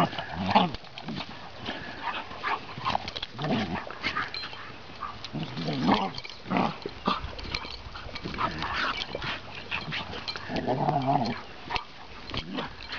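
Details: Vaska, a gentle 20-month-old Ridgeback, lets seven-month-old chocolate Labrador Bailey tug his loose skin and shake her head during hooligan play. Throaty growls and grumbles rise and fall in repeated bursts, mixed with panting, scuffling and faint human talk.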